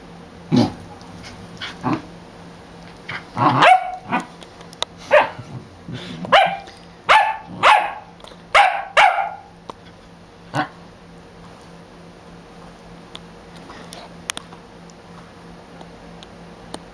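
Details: Scarlet, a dog, barks while being taunted; scattered single barks open the passage, then a quick run of loud barks in the middle, tapering to occasional isolated yaps over a faint constant hum.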